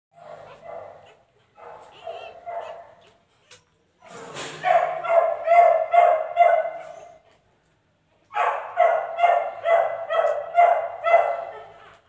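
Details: Dogo Argentino puppy giving bursts of high, harmonic yelps and whines, several in quick succession in each burst, with short silent gaps between bursts and faint background noise.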